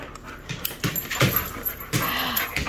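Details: Excited husky having its harness put on; short broken whines and yelps with harsh breathy bursts, over background music.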